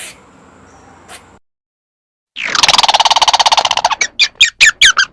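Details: After quiet and a gap, a squirrel bursts into a loud, buzzy rattling trill that breaks into a few separate harsh, rising squeaks.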